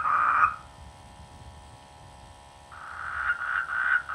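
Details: Rice-field frogs in the rainy season: a brief loud croak opens, followed by a pause, then a rapid series of pulsed croaks over background hiss.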